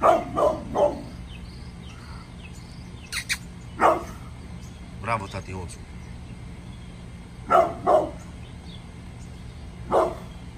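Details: Angry pit bull Bullet barks in the morning, opening with a rapid run of three woofs, then scattered single barks and a later pair, over steady background noise.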